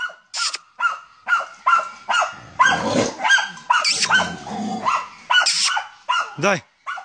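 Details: German Hunting Terrier hunting wild boar, rapid sharp barks at first, then a noisy scuffling stretch with barks continuing, and a man's shout near the end.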